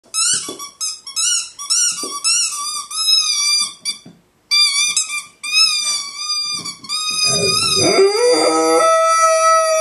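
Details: A 2-year-old male Golden Retriever, excited while playing with his favourite squeaky ball, gives a run of high, wavering, yelping howls in excited bursts.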